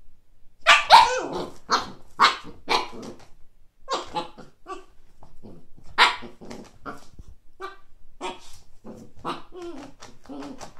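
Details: Siberian Husky puppy Kake reacts to its first frisbee with a run of rough barks early on, one more forceful bark midway, then fading grumbles and small yips.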